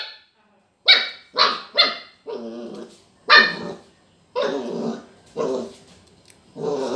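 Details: Border collie puppy barking at a lemon it sees for the first time; a run of sharp, harmonic barks, first quick and clipped, then longer, rougher and growly, spaced roughly half a second to a second apart in a quiet room.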